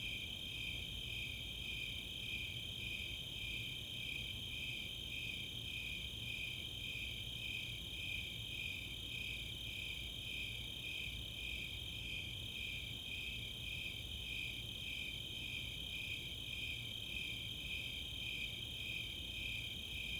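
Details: Summer night at Chautauqua, Boulder, Colorado, filled by a chorus of Snowy and Four-spotted Tree Crickets: regular pulsing chirps and a continuous high-pitched trill, with no other sounds standing out.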